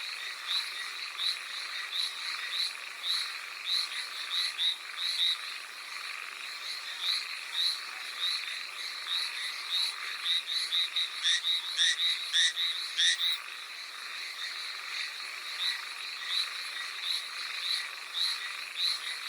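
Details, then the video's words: Hallowell's tree frogs calling in the rain on Amami Oshima: short, buzzy, ringing notes repeated about twice a second in a loose chorus, with a brief burst of quicker overlapping calls midway, all over a steady hiss of rainfall. "Hallowell's Tree Frog in the rain"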